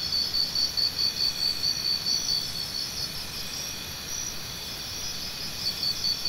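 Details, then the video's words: Cricket chirping in a rapid, steady series of short high pulses, about five per second, for the first two and a half seconds, pausing, then resuming near the end over a constant dense hiss of other insects. "Cricket Sounds"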